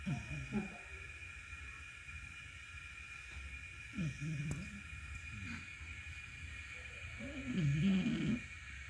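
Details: Dog resting and sleeping after coming back from a walk, snoring: low rough rumbling bursts at irregular intervals, with a louder, longer snore near the end over steady background hum.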